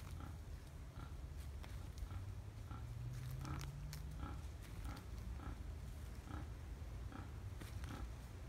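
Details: Wild boars grunting at Tampa on 5 November 2015: a steady series of short, husky grunts at about one-second intervals, with a low humming rumble and a brief rising tone midway.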